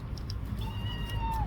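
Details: Cautious young stray kitten under a parked car calls with a long, high, thin meow, level at first and then sliding downward at the end, with a faint low hum behind.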